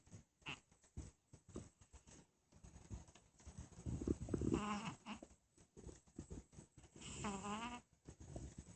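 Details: Sleeping cat giving a strange snore: soft, irregular raspy breaths that swell into louder wheezing snorts, with a wavering, squeaky whistled tone riding on two of the louder breaths, indoors and otherwise quiet.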